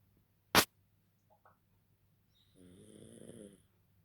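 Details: A sleeping pug snores indoors: a sharp click near the start, two faint soft ticks, then one drawn-out, rattling, nasal snore of about a second with a thin high tone above it, in a quiet room.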